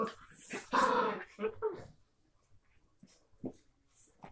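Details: Two Miniature Pinscher half sisters playing: a loud burst of scuffling growls in the first two seconds, then near quiet with a few short grunts and a voice.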